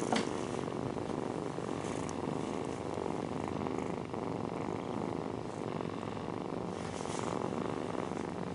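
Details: Mother cat purring while nursing her kittens indoors, a steady low rumbling purr that runs unbroken through the whole stretch with a soft, even pulse and a few faint rustles.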